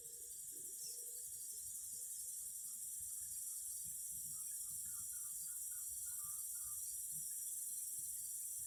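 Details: Cicadas singing in a steady, shrill, high-pitched drone that runs unbroken from start to end, with faint short bird-like notes scattered through the middle and a soft low rumble underneath.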